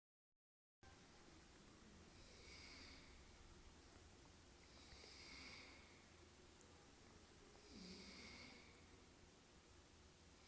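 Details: Dog snoring, with three soft, breathy, hissing snores spaced about two and a half seconds apart, separated by quiet stretches over a faint low hum.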